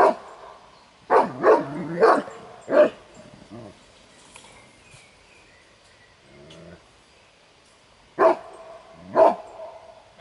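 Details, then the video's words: Kuvasz protecting territory and the owner's property in a competition guarding test; four or five quick, forceful barks in the first three seconds, a long quiet gap, then two more single barks near the end. "Gyémánt Kuvasz Kupa II. - megfelelő területvédelem"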